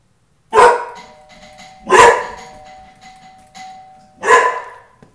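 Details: Tukoma, a big, friendly but protective house dog, barks at the doorbell he now links with the front door: three loud, deep, harsh barks about 1.5 seconds apart, with a ringing two-tone doorbell chime sustained between them.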